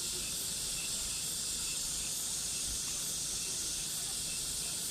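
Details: Cicadas calling in summer, their sound a constant sizzling high-pitched wash with subtle rhythmic swells every second or so, no other clear sounds.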